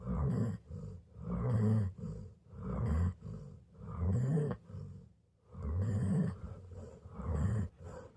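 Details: Golden retriever asleep, producing loud, throaty snores. Each rumbling, groaning breath lasts about a second, broken by brief quiet gaps, including one longer pause midway.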